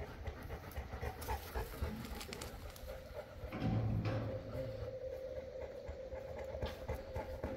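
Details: Boerboel (South African Mastiff) of the Enzo and Diva couple kept in Egypt, panting quickly at nearly four breaths a second, harsh and airy, with a steady humming tone and a louder swell midway.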